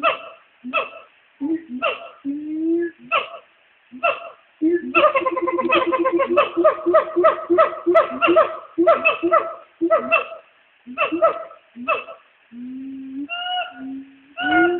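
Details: Two black siamangs call to each other from the trees at a zoo around noon, trading loud, ringing hoots and barks, including a loud "waaaahoooo", and break into a fast, pulsing run of whoops.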